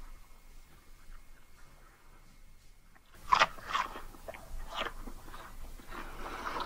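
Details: Siamese cats eating treats indoors: near quiet for three seconds, then a run of sharp, crisp crunches and bites in irregular bursts.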